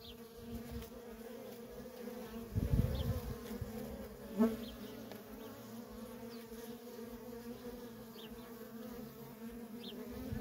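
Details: Nonstop worker bee traffic at a feral honey bee colony: a steady humming buzz, a loud low whoosh of a nearby bee at about three seconds, and a sharp click just after four seconds.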